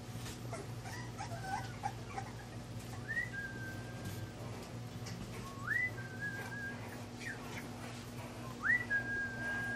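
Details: High whines from English bulldog puppies Scout and Boss at Siess Ranch: three drawn-out cries, each sweeping up and then held level, spaced about three seconds apart, with faint softer whimpers and a low background hum.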